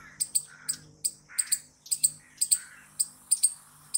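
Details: Squirrel giving sharp, high, clicking chips, often in quick pairs, repeated irregularly about twice a second, with faint lower whistled notes between them.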